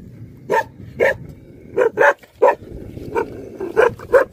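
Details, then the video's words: Angry Tibetan Mastiff, known in Nepal as Bhote Kukur, barking: eight single deep barks spaced about half a second to a second apart, each a short harmonic burst over a faint background hum. "Angry dogs barking effect sound ||Tibetan Mastiff || Bhote Kukur"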